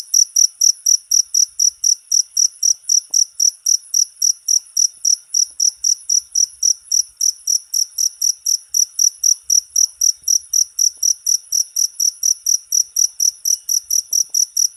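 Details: Jangkrik cricket recording for teaching songbirds: a long, unbroken series of sharp, bright chirps, evenly spaced around four each second, steady in loudness throughout.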